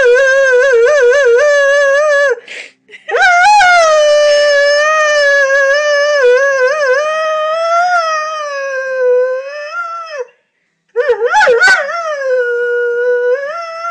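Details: Pet lurcher Moss, left behind while greyhound Lucy is walked, howls for her to come home; loud wavering howls in long drawn-out phrases with quavering pitch, broken by short gaps.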